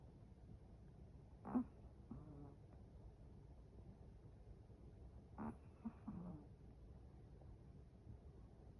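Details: Sleeping Chihuahua snoring indoors: two short, low rasping snores about four seconds apart, each a brief harmonic burst over a quiet room hum.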